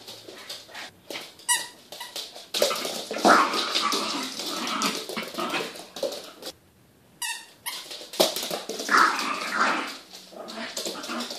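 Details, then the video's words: Small puppy growling during a game of fetch, with long stretches of harsh, throaty, rasping growl broken by short pauses and a couple of squeaks from a toy. "Puppy Growling While Playing Fetch"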